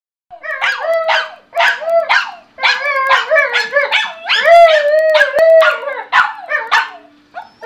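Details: Two pet dogs, a German Shorthaired Pointer and a Bichon, playing together at home and vocalising: loud, tuneful howling barks with wavering pitch, a run of about a dozen rising-and-falling yowls in quick succession, some long drawn-out notes.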